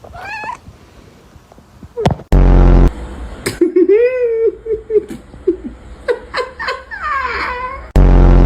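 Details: Domestic cat among clingy pets, meowing with rising and arching tones between a person calling "Cheesy, come on" and bursts of laughter, with loud handling thumps.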